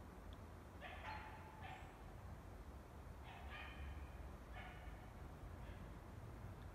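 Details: Five-month-old basset puppy Milo, on his second trip into the forest, picks up the trail of an unknown animal and gives distant, high yelping barks in short groups of two or three, amid a low rushing background.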